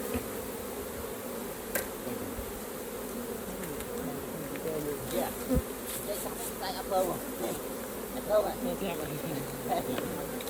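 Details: Dense, steady droning of a honey bee colony at the hive during honey harvesting, with some swelling in loudness. Light clicks and handling noises come through now and then.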